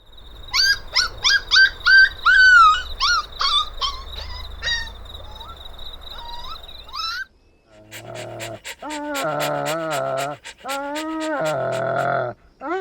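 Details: Fluffy puppies playing outdoors in nature give a quick series of high, bent whimpering yips, about a dozen in seven seconds. After a short gap come lower, drawn-out wavering whines over soft rhythmic pulses.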